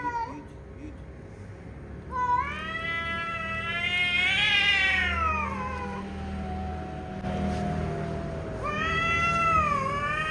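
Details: Cats in a fight, long harmonic caterwauls that rise, swell to a loud peak and slowly sink, with a fresh rising yowl near the end; steady low background noise throughout.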